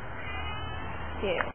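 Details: Pongo, a family pet cat, gives one short meow near the end, rising then falling and lasting about a third of a second, over a steady low background hum.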